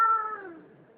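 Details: Distressed cat held by a person with its legs held together, shaking, giving one short meow that starts loud and high, then slides down and fades within a second.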